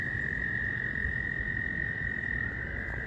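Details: Frogs at a swampy pond, calling in mating season with the recorder close by: a sustained, even high-pitched trilling chorus with no pauses, set against a muffled low background rumble.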